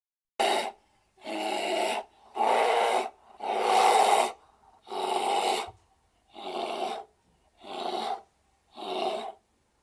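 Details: A bear gives eight rasping, breathy huffing growls in steady succession, about one a second, each under a second long and like forceful panting exhalations, with no other sounds around them.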